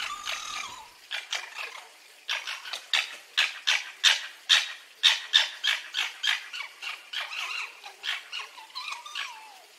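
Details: Red fox giving a rapid series of sharp, raspy yaps about three per second, bracketed by a thin wavering whine at the start and the end.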